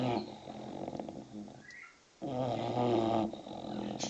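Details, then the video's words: Six-month-old English bulldog puppy asleep, giving two long, rasping snores split by a quiet pause, each breath a buzzy drone layered with harmonics. "Snoring bulldog (6 months old)"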